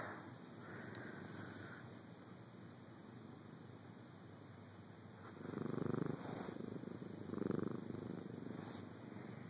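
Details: Domestic cat purring while napping in a dark bedroom after being woken and filmed up close; a soft, low, rumbling purr that swells louder in the second half, with quiet room hush.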